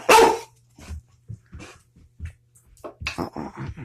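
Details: Puppy indoors fussing at its owner for another treat after getting one on coming in from outside: one loud sharp bark, then short soft yips and whines, with low indoor hum throughout.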